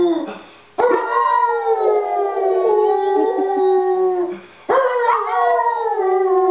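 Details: Holly, a domestic dog, gives two drawn-out howls. Each starts with a sharp rise, then holds a steady, slightly wavering pitch for several seconds and tapers off, with a brief quiet gap between them.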